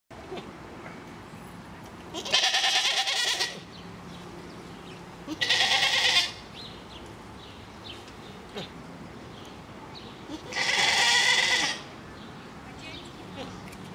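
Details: Grisons Striped goats at a Basel park, with a baby nearby: three loud, nasal, wavering bleats, each lasting about a second, separated by pauses of several seconds over a faint background hum.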